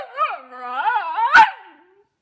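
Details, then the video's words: A Pomsky pup makes a continuous, wavering, moaning vocalisation that rises and falls in pitch, ending in a brief harsh burst and a fading whine. "Pomsky Talkin'"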